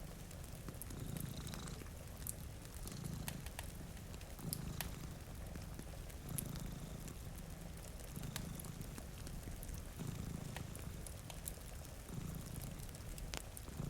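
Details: Steady, rumbling purr from two sleeping cats in front of a rainy window, pulsing in regular low waves every second or so through the whole stretch. Fire crackles snap throughout, and gentle rain hisses in the background.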